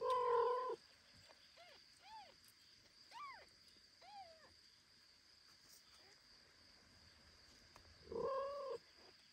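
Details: Foster kitten calling as a mother cat carries it home, indoors; loud drawn-out meows at the start and end with several short, thin arched mews in between, over a steady faint hum.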